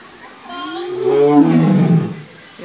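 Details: White tiger at Safari World, Thailand, giving a rough, low growling roar that swells, holds and slides downward over about a second and a half, with crowd noise behind.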